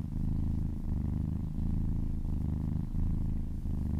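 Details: Brief close-up of a massaged kitten purring: loud, rumbling purr rising and falling with each breath about every 0.7 seconds, with no other sounds.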